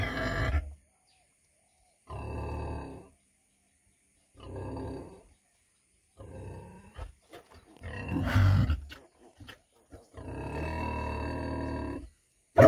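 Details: Deep, hoarse grunts from a 100 kg female pig come in roughly one-second bursts every two seconds, with a louder, noisier snort-like burst and rustling midway.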